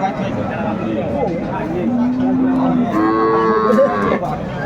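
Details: Cows with calves for sale at Aftabganj market in Dinajpur, 4 January 2025: a long, steady low moo followed by a louder, rising and then falling moo, over murmuring voices of buyers and sellers.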